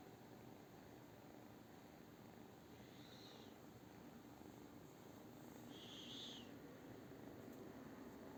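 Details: A British Shorthair cat purrs in a low, even rumble throughout, growing slightly louder toward the end, while two short high squeaky sounds rise above it around the middle and later.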